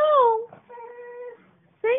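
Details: Female cocker spaniel, seven years old, in Thomasville, North Carolina, singing to its owner indoors: a drawn-out tonal howl that slides downward, then holds a steady level note. A woman coaxes it with 'Say mama'.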